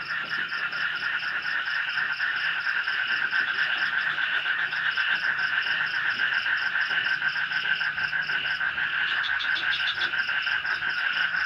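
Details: In light night rain, frogs call from a swamp beside a forest village in Indonesia, a dense pulsing croak chorus that never pauses, joined late by a short burst of higher notes and a faint high insect trill.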